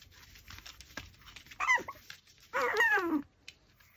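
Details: A Pomeranian eating raw pork backbone lets out two squeaky whimpers, one brief and one longer with a falling, wavering tone, over soft background chewing and room noise.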